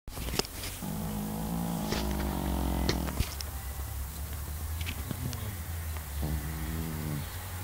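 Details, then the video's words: Pekingese dog snoring in its sleep: a drawn-out nasal tone with stacked harmonics lasting about two seconds, a steady low hum underneath, and a shorter wavering snore near the end. "snoring dog - pekingese"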